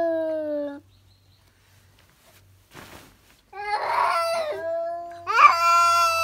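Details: House cat suddenly screaming, typically on noticing a cat outdoors; a brief falling wail, a long quiet stretch with a faint rustle, then rough, harsh yowling rising into a loud high cry.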